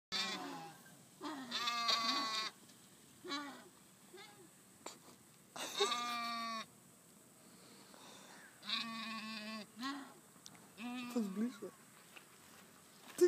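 Sheep give a series of wavering, nasal bleats, some long and quavering, others short and abrupt.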